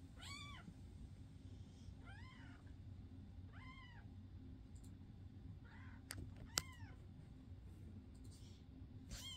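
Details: Indoor foster cats, May 22, 2024, giving a run of about six short, arched meows, the first several roughly every one and a half seconds, with two sharp clicks midway and steady low background hum.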